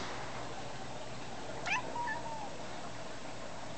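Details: Young female domestic cat indoors, walking away as her owner calls her back: one short, faint meow that starts with a sharp onset and then slides gently downward, over a steady low room hum.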